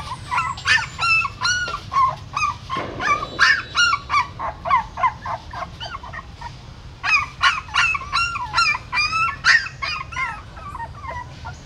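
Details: Puppies newly born in the hole of a pagoda stupa in Siem Reap, their mother carrying them away in her mouth: bursts of thin, piping squeals in quick runs, with a brief rustle and a pause midway.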